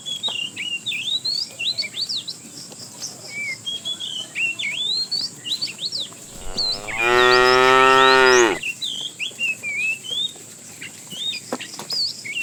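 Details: Tame cows in a herd roaming a road in search of food; one long, strong moo of about two seconds, rich in harmonics and rising slightly in pitch at the end, surrounded by constant chirping of many small birds.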